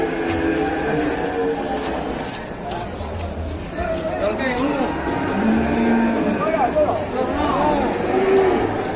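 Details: Agitated cattle described as raging out of control: several short, wavering lowing calls rising and falling in pitch, overlapping one another, with a steady background hum and occasional voices.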